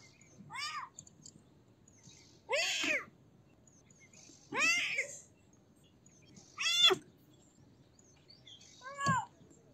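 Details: Five short, bright kitten meows, each arched and sliding downward, repeated roughly every two seconds against faint low background hiss.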